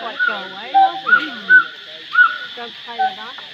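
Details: A gibbon at Angkor gives a string of loud, clear whoops about every half second, each sweeping up and down in pitch, over a constant high insect drone.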